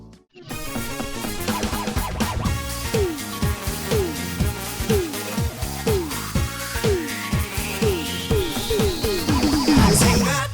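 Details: Upbeat electronic music plays throughout, with repeating falling tones and a long rising sweep toward the end, and no animal voices.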